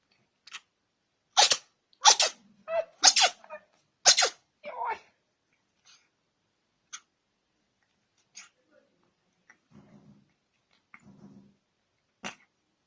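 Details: Cat sneezing: a quick run of sharp, explosive broadband bursts in the first five seconds, then scattered soft clicks, snuffles and faint low murmurs in a quiet indoor space.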